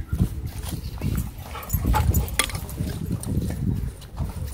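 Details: Play fight between dogs at a dog park: steady deep grumbling growls, thick and throaty, rising in the middle, with sharp scuffle clicks and a brief voice.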